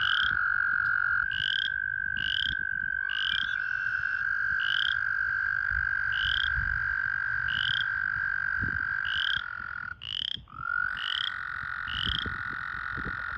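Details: American toads calling at a breeding pool in full breeding season, with pairs in amplexus: overlapping long, level trills shift pitch slightly as one caller stops and another starts, while brief rising high chirps repeat throughout.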